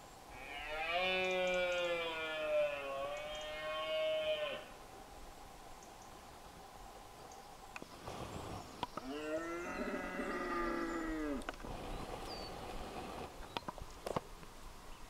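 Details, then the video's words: Red deer stag roaring during the rut at dawn in Scotland: a long, drawn-out harmonic bellow of about four seconds, then a second shorter roar near ten seconds, with camera handling noise and scattered clicks between. "Deer roaring during the rut - at dawn, Scotland."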